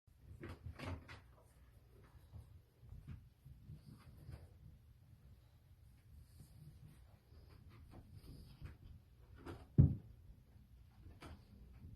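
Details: Indoor knocks, thumps and a cupboard or door being handled, with no animal voice.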